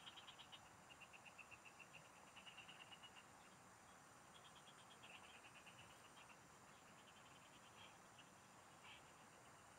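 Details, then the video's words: Frog song in the fields recorded while fishing: an opening flurry of quick, bright pulse trains from a few callers, thinning to occasional rattles later, with steady high insect noise throughout. "Pikinggan mo Ang MGA huni Ng MGA Palaka SA bukid| Relaxing Frog Singing"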